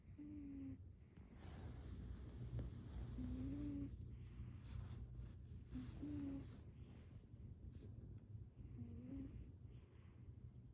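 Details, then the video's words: Shanti, a sleeping female cat, snoring softly indoors: low rumbling breaths with brief squeaky tones on some breaths, over a steady low hum. "Snoring Cat"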